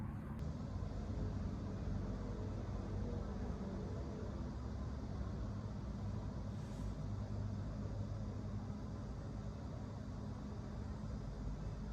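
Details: Steady low rumble of vehicle or engine noise, like riding in a car, fills the recording with no animal voice.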